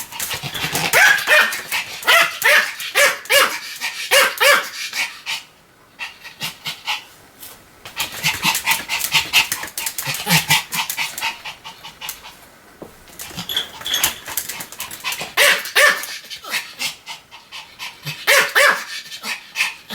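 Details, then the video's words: Sam, a pet Pomeranian, barks continuously in quick, uneven bursts of short, sharp yaps, with brief pauses between the runs and breathy panting throughout. "犬の鳴き声 ポメラニアン サムちゃんの連続吠え集"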